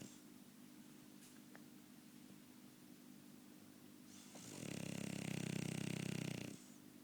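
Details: A French Bulldog snores in a quiet room; after four seconds of near silence comes one loud, harsh, rattling snore lasting about two seconds, deep and buzzy with a breathy hiss above.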